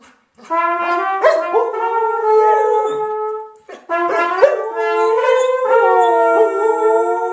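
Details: Samoyeds howling along to a sung Happy Birthday. Long, sustained, wavering tones rich in overtones slide up and down, in two bouts separated by a short break near the middle.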